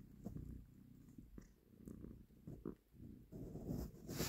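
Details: Domestic cat purring while a mother cat takes her kitten from a hand. A low rumbling purr is broken by soft clicks and bursts of handling noise, with brighter rustling near the end.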